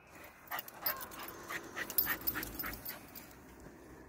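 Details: Patterdale Terrier cross Jipp, excited by a rat under club decking that he wants to kill, pants in quick, fairly regular bursts, about three per second, with faint whimpering edges over a quiet background.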